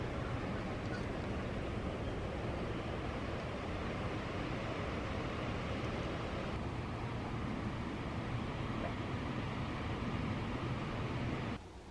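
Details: Dense broadband roar, like wind or surf, runs throughout with a hint of distant talking before cutting off near the end; no animal calls.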